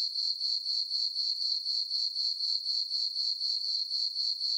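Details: Night chorus of crickets in a moonlit summer meadow on a farm, a sharp sustained high-pitched chirping with rhythmic pulses about four per second and no other noise.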